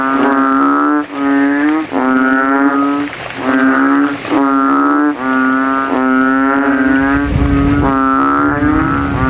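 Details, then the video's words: Banded bullfrogs with inflated throats competing in a post-rain puddle at a cemetery after dark; a long run of loud, deep, cow-like moans, about one per second, from overlapping rival males. "GENANGAN AIR MENJADI AJANG LOMBA KODOK INI BERTARUNG SUARA KERAS"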